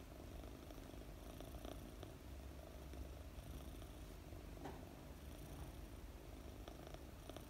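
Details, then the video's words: A 4-month-old female British Longhair kitten purrs while being petted, a steady low rumbling purr running throughout, with faint soft rustling from the petting. "Pet a fluffy purring kitten - British Longhair cat sleeps well"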